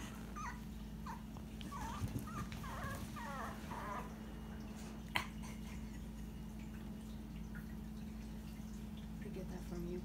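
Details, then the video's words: A Dachshund puppy howling for the first time, owner suspects from hunger, gives short, high, wavering howls over a steady low indoor hum. "Frank the howling Dachshund puppy"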